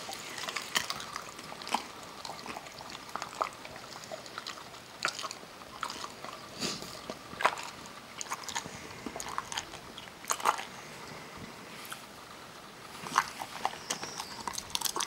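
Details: Kerry Beagle named Parker chewing almonds in a small room, with steady irregular crunches and wet mouth sounds spread over the whole stretch, sharper bites every second or so.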